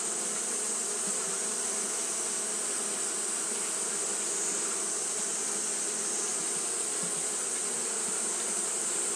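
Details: Japanese honey bees fanning nonstop on a hot day: a dense, steady buzzing hum with low droning bands and a constant high hiss above, unbroken throughout.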